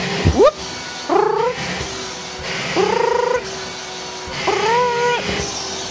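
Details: Domestic cat meowing while playing with a running vacuum cleaner: three drawn-out, rising then level meows about two seconds apart, after a short sharp opening cry, over steady vacuum noise.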